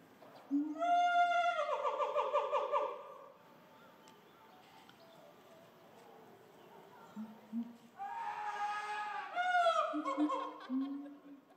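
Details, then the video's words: Gorillas of the Shabani group in Japan, May 2023, during a fight in which young Annie's cries drew others, including old female Nene, to scream and chase Shabani: two bouts of loud, harmonic, wavering screams with pulsing tremolo, separated by a quiet gap with soft lower notes. "Gorilla Dad & Daughter Fight Turns Into a Big Fight Involving Other Gorillas"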